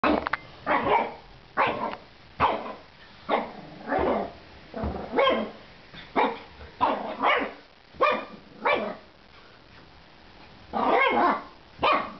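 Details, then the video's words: Female shih tzu puppy, ten weeks old, angry at her food: a rapid run of short, sharp puppy barks and yaps, some with a gruff growly edge, firing irregularly about once a second with brief quiet gaps. "Angry shih tzu!"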